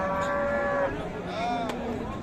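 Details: A cow moos at the Monday market at Raniganj, Dinajpur, Bangladesh, 7 April 2025, among beef cattle for sale: a steady higher-pitched moo of nearly a second, a second fainter call, then crowd noise.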